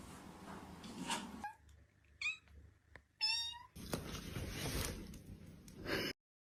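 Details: Domestic cat meowing indoors: a couple of short, harmonic meows around the middle, the second louder and clearer, surrounded by human speech and household noise.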